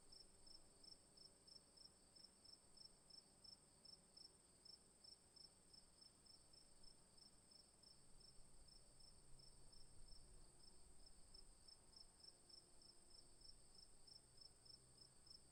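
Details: Crickets chirp in the afternoon in a steady, high-pitched pulsing rhythm, about three chirps each second.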